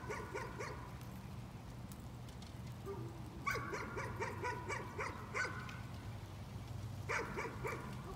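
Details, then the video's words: Repeated nuisance barking by a dog: a short volley of fast barks at the start, a longer run of about eight rapid barks midway, then one final bark, all over a low droning hum. "Nuisance barking again."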